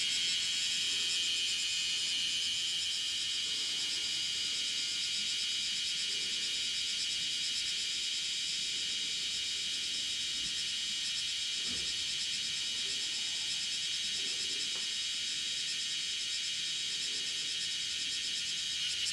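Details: A bear cicada (Cryptotympana facialis) walking on a window screen on 31 July 2018 at 10:03, calling five times. It shrills loudly and steadily, a dense high-pitched buzzing that barely wavers.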